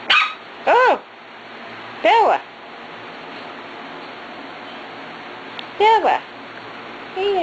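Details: Four-week-old Corgi puppies, Beth and Kobe, recorded 2/2/10, giving high, arching yips that rise and fall in pitch, several short bursts a second or more apart, with a woman talking softly between them.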